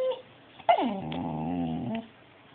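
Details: A talking dog lets out one sustained, harmonic howl-like moan lasting over a second, opening with a sharp yelp and sliding down before holding steady, indoors.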